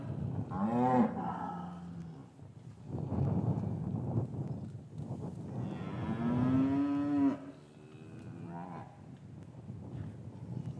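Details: Cattle in a traditional English farmyard on a winter's afternoon after the calves were parted from their mothers. A short bending moo comes first, then a longer, steady, rising moo, over a rumbling low background of yard noise.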